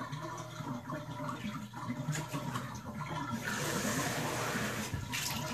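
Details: Water rushes and fills in a small bathroom while a person talks over it, with no animal calls.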